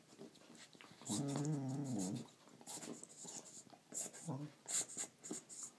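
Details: Indoors, a female Border Collie plays with her toy and makes a weird sound: one wavering whine lasting about a second, a brief low grumble later, amid clicks, rustles and handling noise; a person murmurs.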